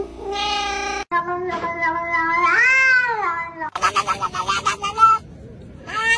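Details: Cats meowing in separate cut-together bits: a brief high cry, a long rising-and-falling meow, then a pulsing, choppy stretch of short yowls and a final loud meow.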